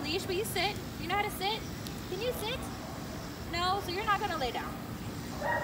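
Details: Shepherd mix named Liebe, a dog in training, giving a run of high, wavering whines that rise and fall in short arched notes, some in quick clusters, over steady low background hum.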